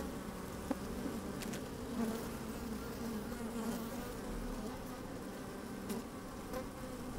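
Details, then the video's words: Inside an opened beehive on a sunny, slightly windy day, honey bees moving about produce a continuous low hum, with a few sharp clicks and taps scattered through the steady drone. "Open Beehive"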